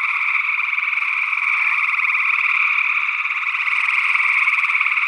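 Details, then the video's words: Early June 2022 in Northwest Wisconsin: many gray tree frogs trilling at once, a continuous rough, pulsing drone holding level throughout, possibly joined by an unidentified second frog, perhaps a spring peeper. "Gray Tree Frog Calls"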